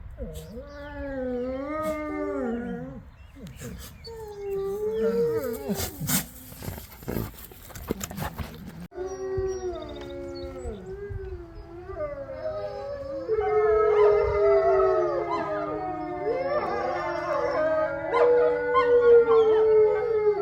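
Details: Group howl by a captive gray wolf pack of five in their main enclosure: many wavering, sliding howls overlap throughout, broken early by a burst of sharp clicking noise, and the chorus grows fuller and louder toward the end.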